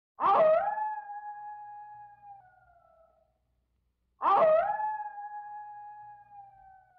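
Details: A wolf, said to be missing a younger sibling, gives two long, steady howls, each starting with a quick rise and then sliding slowly down.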